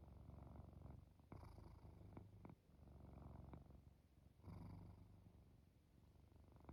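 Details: Quiet, drowsy cat purring while falling asleep, snores blended in; a soft low rumble continues steadily, with a couple of faint clicks and a stronger breath swell past the four-second mark.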